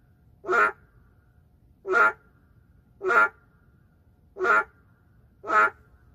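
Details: Endangered narrow-mouthed frog calling in the middle of a city: five loud, nasal, bleating croaks, each about a quarter second long, repeated roughly every 1.2 seconds over a quiet background hum.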